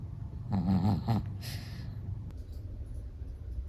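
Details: A sleeping Chihuahua snores in a low, rumbling, breathy burst lasting under a second, then breathes more quietly and softly for the rest, with a faint click partway through.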